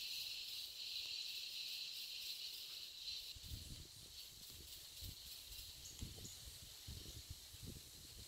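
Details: A giant cicada (Quesada gigas) gives a loud, steady, high-pitched buzz that throbs slightly and never pauses, recorded 22 November 2017 at an eco-lodge in Vargas State, Venezuela.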